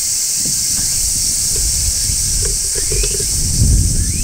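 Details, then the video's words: Midsummer song of a large brown cicada on a tree, a continuous high-pitched hiss-like buzz without pause, over low rumbling background noise and a few faint brief upward chirps. "Cicadas Singing in Midsummer | Large Brown Cicada"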